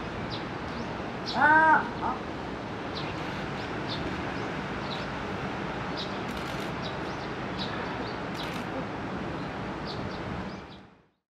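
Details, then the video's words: Pallas's cat named El at Higashiyama Zoo and Botanical Gardens, Nagoya, calling earnestly to another Pallas's cat, Honey, as if appealing to her. One short, arched, harmonic yelp early on and a fainter second note, then steady low background hum. "マヌルネコ の鳴き声"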